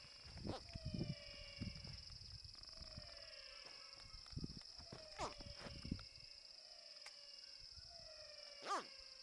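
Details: Aggressive caiman hatchling: soft downward-sliding chirping calls every second or so, several in a row, with bumps and clicks of handling and a constant high background tone.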